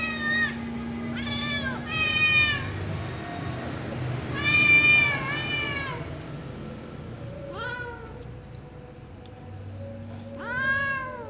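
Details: Little ginger cat meowing, talking probably to its mother: high harmonic-rich meows, several arching, repeated in clusters of two or three across the stretch, over a low steady hum.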